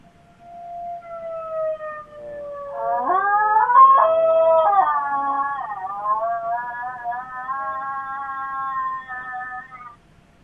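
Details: Miniature Schnauzer Chloe answering tornado sirens indoors. A steady siren tone opens, then her long, quavering howl takes over, climbing and wobbling in pitch with layered overtones for about seven seconds before fading.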